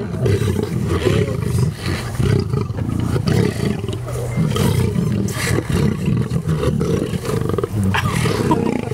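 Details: Lions fighting over cow legs at a night feeding at a lion park near Johannesburg, South Africa, September 2013, recorded from a truck: deep, rumbling roars and growls fill the clip continuously, with people's voices mixed in.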